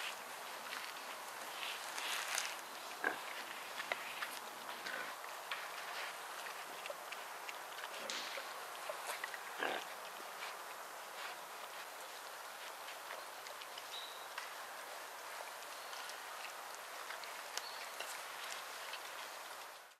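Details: Wild boar (Sus scrofa), grunts.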